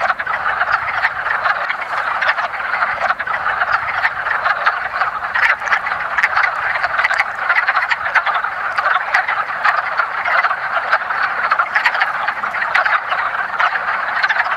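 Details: A spring breeding chorus of wood frogs (Rana sylvatica) at a woodland pond, part of their annual mating ritual. Many overlapping duck-like clucks and croaks run without pause, steady in loudness throughout.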